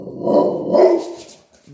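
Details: Tiny Chihuahua snarling at a big Pitbull over dog bowls: two loud rough growl-barks in quick succession, then fading, with a woman talking to the dogs.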